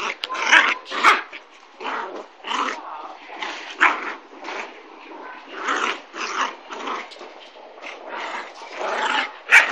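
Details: Kooikerhondje puppy Zorra, 9.5 weeks old, playing with an older dog: short rough growls and yaps in uneven bursts, several per second at times, with brief pauses between.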